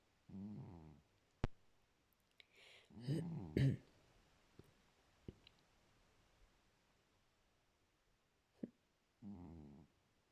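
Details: A cat snoring while asleep, with low, raspy snores at the start and end, and a brief burst of mixed rustling and muffled noise in the middle, plus scattered clicks.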